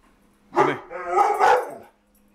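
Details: House dogs, a Mastiff and a Husky, upset after a stray ran past the front door. Two loud, drawn-out harmonic barks, the second longer and wavering, with a quiet pause before and after.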